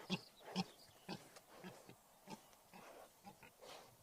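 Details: Deep, low grunts from a wild boar, evenly spaced at roughly two per second, the first few loudest and the later ones softer and more muffled.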